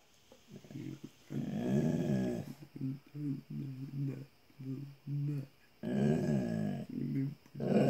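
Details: A Bullmastiff indoors in a small room, back talking: low, rumbling growl-like grumbles in choppy bursts, some long and drawn out, others short and stuttering, with a steady faint hum behind.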